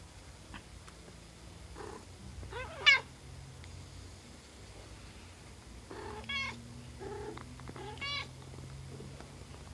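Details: Peach, a pet cat, with her day-old kittens: three thin, high-pitched mews, rising then falling, spaced a few seconds apart over a soft low purring hum and light rustling.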